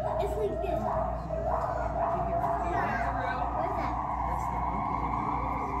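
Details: A captive Müller's (Bornean) gibbon at Cleveland Metroparks Zoo gives its territorial call, quick rising and falling whoops repeated over a steady background hum.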